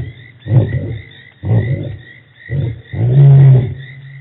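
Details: Djuma Game Reserve lions on March 24, 2018 finishing a roaring bout: four short, low grunting bursts about a second apart, the last one longer and steadier.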